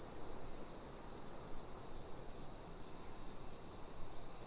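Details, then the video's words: Cicadas droning in a residential neighbourhood about 20 km from downtown Nagoya, Japan, on a July 2021 afternoon. A constant high buzz persists through the short stretch, layered over broad background rumble. "Summer Cicadas Sounds"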